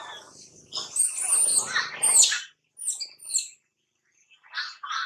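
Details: Baby monkey crying while at play: harsh, shrill squealing cries with a thin high whine for about two seconds, then short chirpy bursts separated by brief silences.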